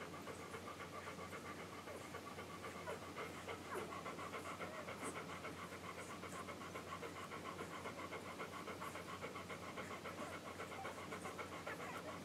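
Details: Week-old English Golden Retriever puppies from a litter born July 9, 2012, nursing. A continuous busy rhythm of smacking suckling clicks, roughly three to four each second, with an occasional thin squeak and a constant low hum.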